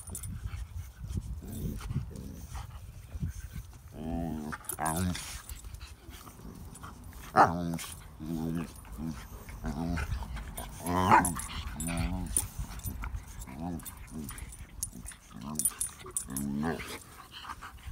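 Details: Dog at play with pug puppies gives repeated short, nasal, wavering grumbles and whines, bursts arriving roughly every second across eighteen seconds, some louder peaks, over low background noise.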